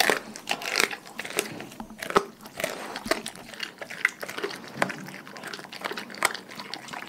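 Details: Dogs in a pack gnawing raw food, continuous crunching and crackling with frequent loud snaps and steady wet chewing, busy and irregular from start to finish.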